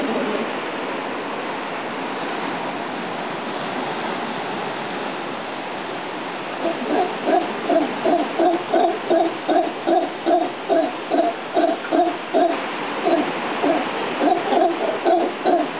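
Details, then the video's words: Howler monkey heard in a jungle, likened to Satan clearing his throat; after a breathy rumbling start, rapid rhythmic hoarse grunts pulse several times a second, low and throaty, continuing in bursts to the end. "Howler monkey"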